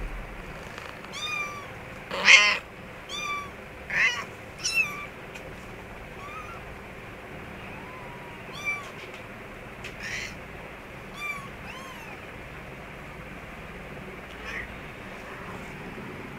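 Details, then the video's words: Mother cat with her kittens in an office store room; many short, high, arching mews follow one another, loudest in the first five seconds and then softer and more scattered, over a steady background hiss. "kittens with mother cat"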